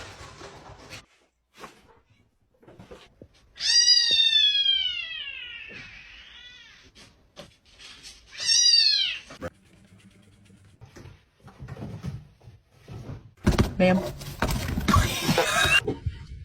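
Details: A cat playing with a box; two loud, drawn-out meows that rise then fall slowly, followed by quieter clicks and rustling, then a burst of noisy scratching and laughter near the end.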